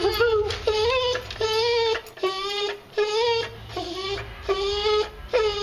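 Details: Boxer named Lily, a female on a strict diet for medical problems, whining at feeding time as her food soaks and she is teased to twirl; about seven drawn-out, tonal, slightly wavering whines in quick succession, with a person talking between them.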